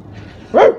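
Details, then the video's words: A pet Rottweiler barking at its owner: one short, loud, harmonic bark rising then falling, after a quiet start. "pet rottweiler barking at me"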